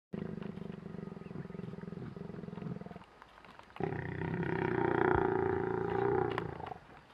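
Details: Lion during mating, hiding; a rapid pulsed low growling for about three seconds, a brief pause, then a louder, harsher snarling growl with raised upper tones lasting about three seconds.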